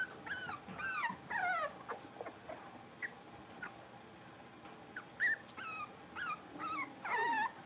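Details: A litter of blenheim Cavalier King Charles Spaniel puppies playing indoors: high arching whimpers and squeaky yips in irregular bursts, some quiet gaps between, with a final drawn-out falling whine.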